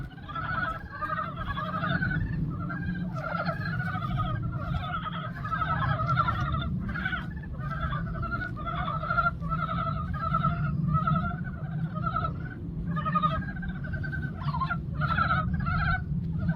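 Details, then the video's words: Dense spring chorus of many frogs in a pond, a continuous chatter of short, pulsed croaks from several callers overlapping through the whole stretch, with brief gaps, above a constant low-pitched background hum. "개구리들의 합창"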